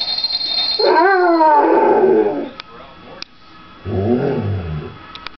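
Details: A Basset Hound howls along to people singing Jingle Bells, a long, wavering howl that climbs, then slowly slides down.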